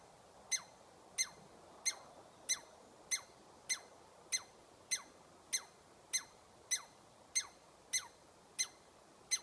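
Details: A chatty squirrel gives sharp, high, downward-sliding calls, about fourteen of them spaced evenly roughly every two-thirds of a second, over a quiet background hiss.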